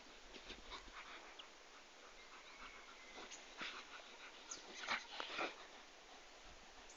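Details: Komondor dogs giving short whimpers and yips, with a louder cluster of cries near the end over low background hiss.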